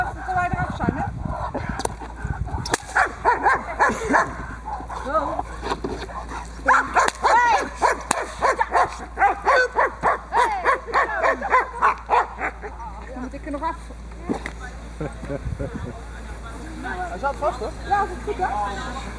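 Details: Diesel, a Boxer working dog from Ons Hullekke, in protection training on a table for bite work: a long volley of rapid, repeated barks, fast and irregular at first, tapering off, with scuffling and other noise.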